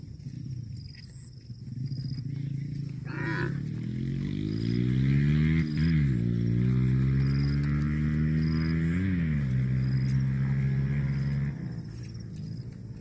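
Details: Cow giving one long, deep moo that rises at the start, holds for about seven seconds with two brief dips in pitch, then fades out, over a steady low background hum.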